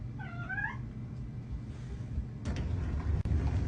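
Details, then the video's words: Kitten meowing indoors: one short, clear, slightly bending meow near the start, followed by low room rumble and a few soft thumps and knocks. "kitten meowing cute"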